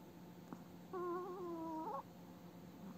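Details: Elderly female pet Chihuahua snoring in her sleep indoors, eyes moving as in an active dream: one wavering, whistly nasal tone lasting about a second, steady in pitch with slight tremor, then quiet room hum.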